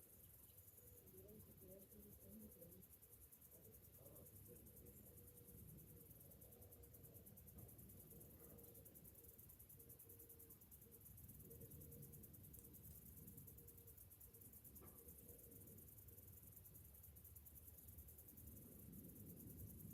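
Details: Morning cicadas in summer keep up an unbroken, high, rapidly pulsing buzz, over a heavy low rumble with faint tonal murmurs and occasional clicks.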